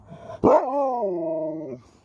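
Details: Alaskan Malamute talking back when spoken to: one sharp yelp-like onset, then a drawn-out, tuneful woo-like vocalization about 1.3 seconds long, slowly sliding down in pitch with rich overtones; quiet background.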